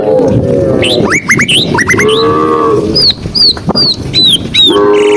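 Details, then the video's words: Tame cows being herded, walking through green countryside on a sunny afternoon: drawn-out, level, low moos open, split and close the moment, with quick high sweeping bird chirps and whistles repeated in between. "cow sound cow Moo"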